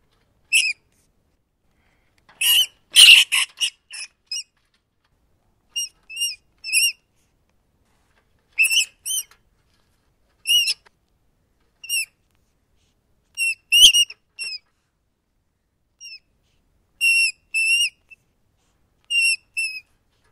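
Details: Rat opening with a rough, noisy squealing flurry, then many brief high squeaks, often in pairs, spaced through twenty seconds, with a sharp tap in the middle and no other background.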